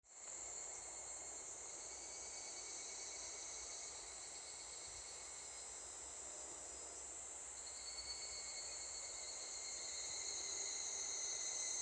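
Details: Evening cicadas, or higurashi, that had already begun calling near a school at the end of the day. A dense, steady, shrill high-pitched chorus with sustained ringing tones swells gradually louder toward the close.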